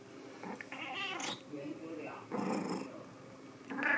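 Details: White cat named Sea Cucumber giving drawn-out, harmonic meows with a rising then falling tone near the one-second mark, followed by shorter mewing sounds, with a human voice and indoor rustling mixed in.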